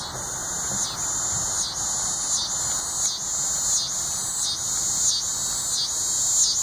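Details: Coastal scissor grinder cicada, also called yodeling cedar sucker, calling at Sea Isle City, New Jersey on August 20, 2016; continuous high, buzzy grinding drone pulsing in rhythmic dips about every 0.8 seconds, with soft low background rumble.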